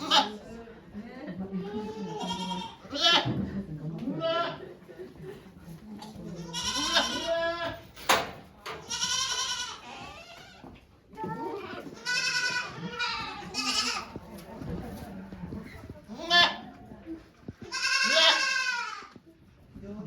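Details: Goats at a farm in Japan on 3 May 2023, during a doe's birth of two kids watched by many volunteers; several loud, wavering, harmonic bleats at irregular intervals, mixed with people talking nearby.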